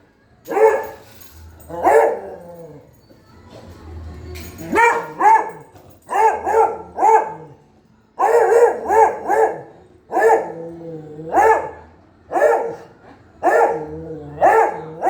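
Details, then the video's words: Pet dog barking persistently for fifteen seconds, mostly in doubles and triples of harsh, clipped barks with short gaps, plus a few quieter whiny notes early on and a low background hum. "barking 🐺 sound of our kutty"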